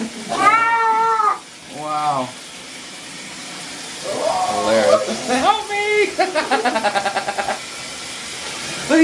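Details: Pet cat protesting during a bath with loud, strained meows and yowls, some rising then falling, followed by a rapid pulsed growling run; a woman talks and exclaims over the cries.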